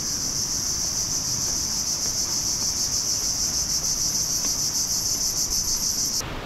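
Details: In mangrove forest in Bako National Park, Borneo, Malaysia, near the start of trail six, cicadas (thought to be) make a loud, continuous chorus, a high shrill buzz that holds steady then cuts off abruptly; Cicada.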